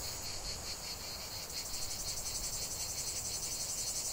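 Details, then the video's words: Cicadas in chorus: a dense, continuous high buzzing with a steady pulsing throb about four beats per second, plus a fainter lower buzzy layer beneath; soft low rumble in the background. "chant des cigales"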